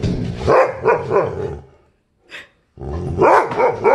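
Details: An unhappy poodle barks in quick, sharp bursts with brief pauses as a Great Dane and a St. Bernard, after earlier growls, start playing together.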